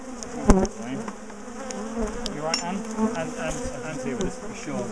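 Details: Disturbed bee colony during the splitting and moving of a top bar hive in a garden; softer diffuse buzzing under handling noise, with a sharp clunk near the start and scattered taps.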